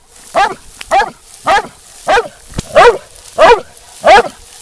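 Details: Black and tan coonhound, a young female being trained as a UKC show dog, barks steadily: eight short, bright harmonic barks evenly spaced about half a second apart.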